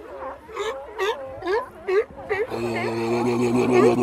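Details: Sea lion in the wild: a series of short, rising, tonal harmonic calls about twice per second, then a steadier, sustained overlapping chorus of droning calls from several animals in the second half.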